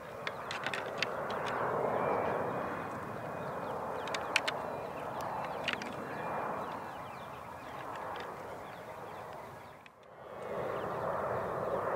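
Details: Steady outdoor rumble like distant traffic or wind, with a few sharp clicks and no clear animal calls. A brief quieter gap comes near the end before the background noise returns.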